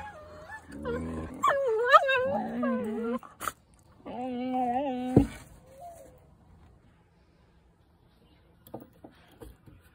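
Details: A 10-week-old Siberian Husky puppy wanting to play with an older dog, which tells it to go away: wavering, moaning whines and yowls rising and falling in pitch during the first five seconds, then near quiet with faint scuffles.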